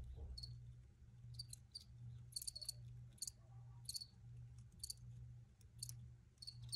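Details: Crickets chirping in brief, high, bright pulses, irregular and fairly frequent, some doubled, set against a steady low-frequency hum.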